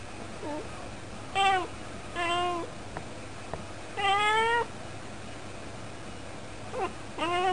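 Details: Domestic cat chattering at the window as it usually does: a run of six tonal, harmonic meows over seven seconds. Some are short and chirpy, others longer with a rising then falling pitch. Quiet indoor room hum behind.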